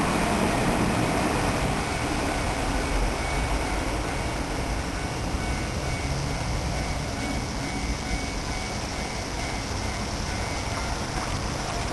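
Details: Steady broadband rumble of passing traffic or a train holds throughout at an even level, with a faint thin whine but no animal calls.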